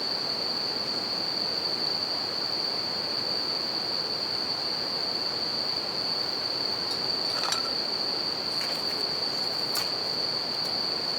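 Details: Bell crickets singing at night beside a campfire and a river: a steady, high ringing tone runs unbroken through the clip over the constant rush of flowing water, with a few sharp crackles and pops from the fire near the end.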